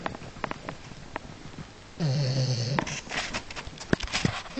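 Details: A French Bulldog wearing a wig sleeps after an agitated night, snoring with a deep, rumbling buzz, followed by rustling and soft background noise.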